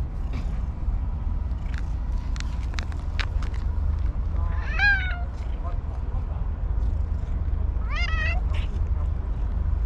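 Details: Tuxedo-patterned stray cat at a fishing port meowing while offered treats: two short, bright meows about three and a half seconds apart over a constant low rumble, with sharp clicks and soft rustling.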